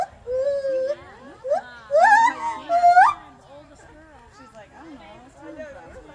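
A gibbon calls in pure, wailing whoops, each note gliding steeply upward and some ending in a sharp rise. Quieter human voices murmur in the background between the louder calls.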